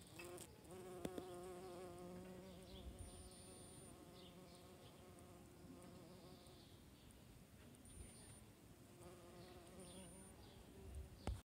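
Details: Buff-tailed bumblebee, Bombus terrestris, recorded June 15th, 2021: a low, even droning hum that fades in and out as the bee passes, loudest at the start and again near the end, over soft background hiss.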